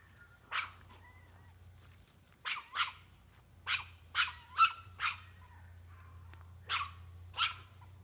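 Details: Brodie, a small Chihuahua, barks at a doe that stands her ground and stomps; sharp high yips come in uneven bursts, about nine over eight seconds, with a steady low hum underneath.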